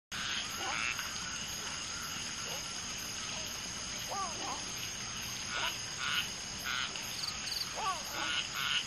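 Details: Common tree frogs (Polypedates leucomystax) during mating: one female laying eggs while two males fertilize them, with many frogs calling around. Bursts of short pulsed croaks and brief downward-curving chirps come irregularly over a steady high hiss.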